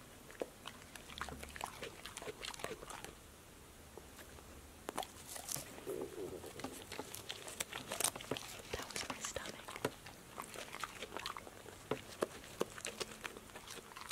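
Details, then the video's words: Female pet dog Passport chomping healthy snacks (apple slices, lettuce leaves, sunflower seeds in shell, tomatoes, green beans) in a small room; dense, rapid crunching and mouth clicks throughout, with faint whispering near the start. "DOG eats crunchy snacks"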